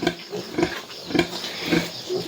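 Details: Farm sow that has just given birth, in a small indoor pen, giving short, low grunts in a steady rhythm, about one every half second, over a rough background hum.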